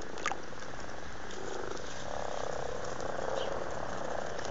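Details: Amorous frogs in a garden pond in Blarney, Cork, Ireland, in February, giving a low continuous purring croak chorus, soft and steady throughout with a faint background hiss.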